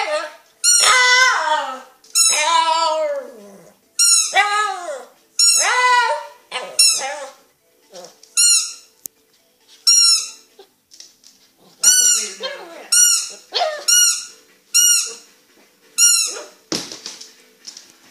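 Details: Dog making funny noises at a squeaky dog toy indoors: drawn-out whining moans mixed with rapid high toy squeaks, arriving in bursts roughly every second.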